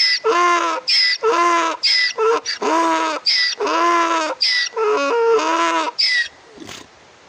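A donkey brays, alternating short squealing intakes with longer, lower honking blasts in a steady see-saw.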